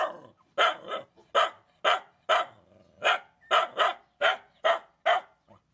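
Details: A steady series of sharp, evenly spaced barks, about two each second, comes from rescued dogs and puppies while they are fed.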